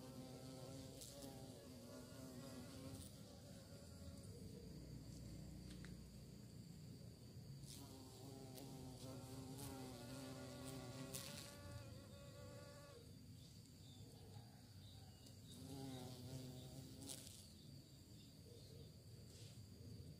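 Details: Bees searching for prey, a steady droning buzz with layered tones that swell and fade as insects pass close, over a constant low rumble and faint hiss.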